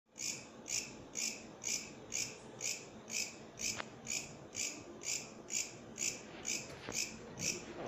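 A katydid sings a dry, raspy chirp repeated steadily about twice each second.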